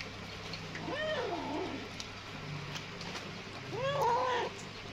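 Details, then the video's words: Hungry kitten eating greedily and fast; two short harmonic meows, the first near one second with a falling tail, the second louder and arched near four seconds, over a steady low hum. "صوت القطة الصغيرة وهى تأكل بشراهة وبسرعة من شدة الجوع"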